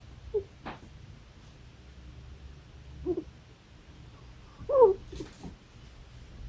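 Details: A deaf pet ferret gives a few soft, brief squeaks and whimpers while asleep and dreaming, spaced seconds apart.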